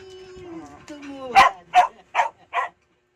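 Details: Mia, an Aspin dog, being talked to. A drawn-out tonal whine or voice opens, then four short, sharp barks follow in quick succession, about two to three per second, before silence.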